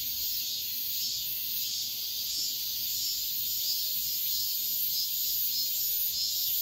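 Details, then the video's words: Cicadas singing at dawn in midsummer: a dense, steady, hissing buzz that stays high and continuous, gently pulsing in volume throughout, with no other clear sounds. "새벽매미소리를 들어보자"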